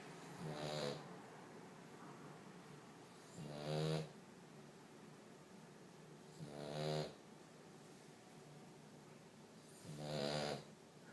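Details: A 5-month-old French Bulldog puppy snoring loudly indoors while napping: four rasping, buzzy snores come roughly every three seconds, each a short harmonic burst with quiet breathing between.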